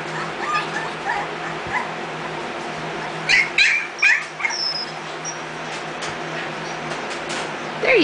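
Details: Mixed-breed puppies nearly three weeks old, eyes open, learning to stand, kept at home; high thin whimpers and squeaks in short bursts with a few yips, while a woman talks encouragingly nearby.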